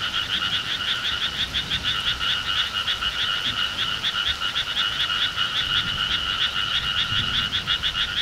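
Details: Summer countryside frog chorus, loud and insistent: rapid rattling croaks repeated in quick regular bursts, layered in two bands, with little other sound.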